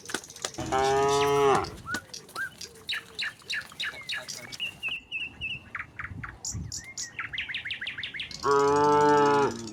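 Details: Village herd of tame cattle heading home to the pen: a loud low moo at the start and another near the end, separated by a stretch of busy bird chirping and brief whistles.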